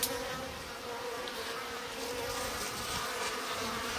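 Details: Japanese honey bees in a stacked-box hive in spring, colony growing active, as the sliding bottom board is opened; a steady low droning hum with a clear overtone, continuous and even throughout, with a brief click at the start.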